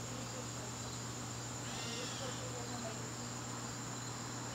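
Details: Crickets calling in a garden on a September evening: a steady high, thin continuous trill holds throughout, with a low electrical hum beneath and a faint brief sweeping sound near the middle.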